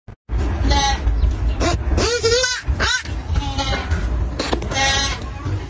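A lamb bleats with a high, wavering, quavering voice over a steady low rumble.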